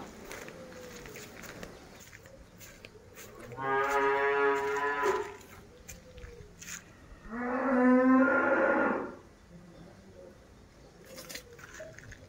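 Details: Tame cattle checked at Mangunsari giving two long, deep, strongly harmonic moos, each about one and a half to two seconds, separated by a short pause, with quiet background clicks and rustling between calls.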